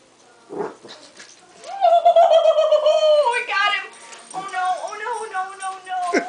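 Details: West Highland White Terrier puppy Duke, 3.5 months old, playing indoors with sticky tape: a long wavering, warbling whine-howl rises and holds steady, then breaks into shorter quavering yelps, with people's voices exclaiming nearby.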